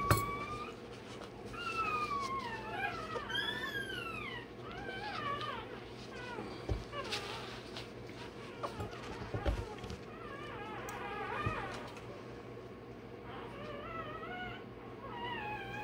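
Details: Day-old Rottweiler puppy undergoing tail docking and dewclaw removal squeals in rapid, wavering, rising-and-falling cries, sometimes in quick bursts, with pauses, handling knocks and low voices nearby.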